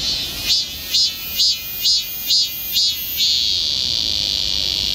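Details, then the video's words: Summer cicada song in the woods of Galsan Park, Seoul: six rhythmic buzzing pulses about every half second, then one unbroken high droning buzz that continues to the end over a background chorus. "매미울음소리. 한여름의 청량제와 같은 천사들의 찬가. 갈산공원 매미들 숲속의 합창"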